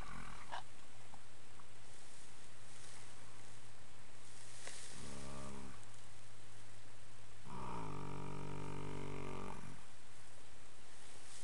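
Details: Ten-year-old male registered foxtrotter horse humming while napping in old hay piles on an afternoon after romping in the yard; two low, droning, tonal hums, one short and one about two seconds long, over quiet background noise.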